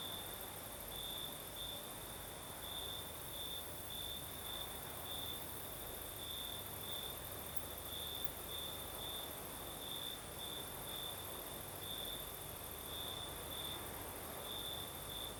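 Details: Night chorus of crickets in southern Crimea under a night breeze: a high-pitched chirping trill pulses in rapid bursts, several each second, over a constant shrill insect hiss and faint low background noise.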